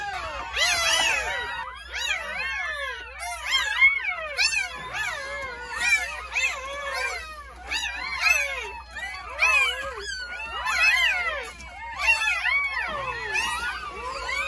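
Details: Newborn Jindo puppies from a litter of nine, born at a rural home on New Year's Day, wail without pause. Many shrill, overlapping squeaks rise and fall in quick succession, roughly every second, with no other clear sounds.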